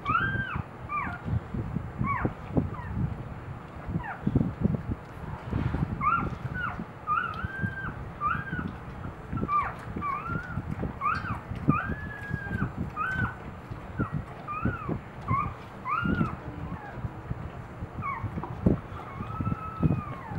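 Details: Newborn Boxer puppies, two days old, squeal repeatedly while feeding from their mother Eve in the morning; thin arched squeaks come in quick irregular bursts over constant low shuffling and bumping noise.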